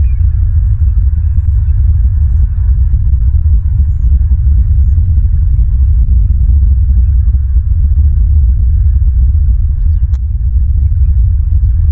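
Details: Steady low rumble of wind or machinery fills the recording, with no clear animal calls.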